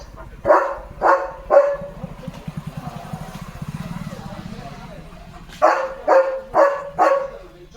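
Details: Leo the German Shepherd barks near a tractor on farmland at sunset. Three sharp barks, then a low rumbling engine drone for a few seconds, then four more evenly spaced barks. Speech is faintly mixed in.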